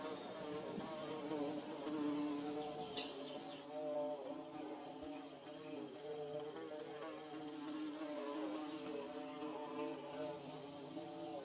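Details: Bees building their nest, a dense steady buzz of many overlapping wingbeats with layered low droning tones, holding evenly throughout with slight wavering and a faint hiss above.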